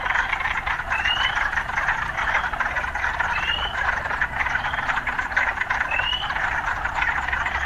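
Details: Frogs calling amid occasional urban sounds: a steady, dense croaking chorus with a handful of spaced, upward-sliding whistled notes and a faint low hum underneath.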